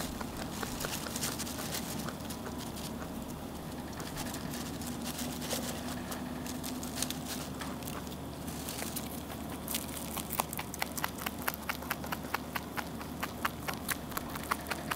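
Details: Rabbit eating on and on; soft chewing and rustling at first, then crisp crunching clicks grow louder and quicker toward the end.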